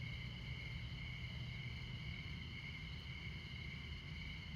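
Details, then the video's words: A brief stretch of steady, high, ringing cricket trill at midnight in Montana. The low roar of I-94 traffic persists beneath it. "Midnight Montana Crickets"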